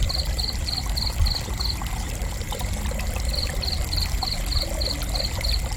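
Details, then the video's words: High, pulsed cricket chirps repeat rapidly for almost two seconds, stop for a pause of about a second and a half, then start again at the same quick, regular pace, all over a steady low rumble. "Gentle Cricket Chirping"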